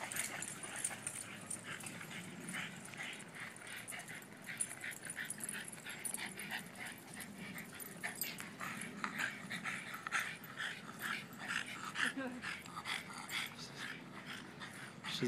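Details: Several Boston Terriers at play: continuous low growling and grumbles mixed with sharp scuffles, panting and occasional yips, irregular rhythm across the recording.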